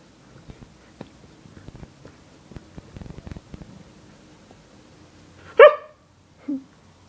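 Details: Morning greeting in bed from Yorga, a pet Siberian Husky: soft clicks and bedding rustles lead to one sharp, loud yelp, then a lower, softer grunt-like call a second later in a small room.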